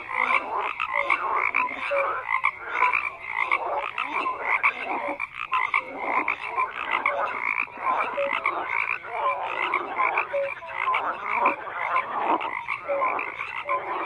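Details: Many frogs croaking together in a dense, continuous chorus, with overlapping rasping croaks and short tonal notes layered without pause.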